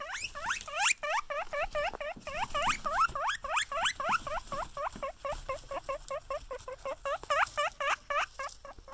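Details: Guinea pigs greet someone they see with excited wheeks: a steady, fast train of short upward-sweeping squeaky whistles, close to four per second, continuing throughout.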